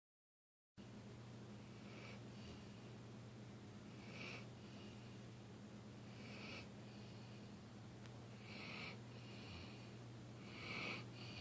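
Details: Dilly, a dog, snoring while asleep: soft, wheezy breath bursts recur roughly every two seconds over a steady low electrical hum in a quiet room.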